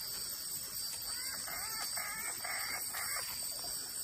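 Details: Wood frogs calling on the banks of the Claudie River in the Iron Range Rainforest, Cape York: a series of short, rasping, harmonic notes in quick succession over a steady high insect drone.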